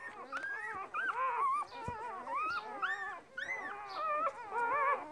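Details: Two-day-old purebred Border Collie puppies, part of a litter of six from a mother called Lilly; several pups squeal together in arching, high, bending whines with quick upward yelps overlapping throughout.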